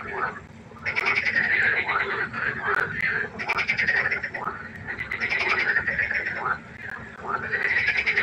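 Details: Frog concert at a pond by night, a brief lull then a surge of crowded, crackling croaks repeated rapidly, rising and falling in loudness.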